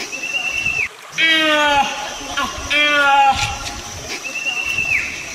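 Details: Two loud, nasal, harmonic honks from a proboscis monkey (Nasalis larvatus), each slightly falling and about half a second long, separated by a brief pause. A thin, level, high whistle opens and closes the passage over constant hiss.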